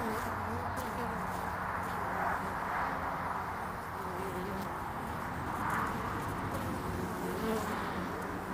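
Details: Early-spring hive traffic of honeybees at the landing board of hive Furzeleigh L3, 22 February 2019. A continuous broad drone carries faint, wavering buzzy tones that swell and fade as individual bees fly past.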